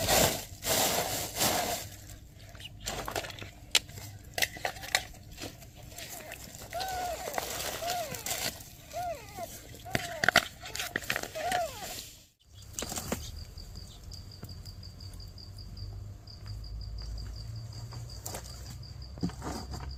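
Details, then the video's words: Newborn kittens with their mother cat, who is asking for help; a quick series of short, arched mews comes in the middle, with clattering and handling noises throughout, then a quieter stretch with a faint high ringing tone. "Mother cat ask for help! Newborn kittens meows"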